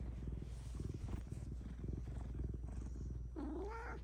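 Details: Cat during a therapy session, purring in a steady low pulsing rumble, followed near the end by a short rising-falling meow.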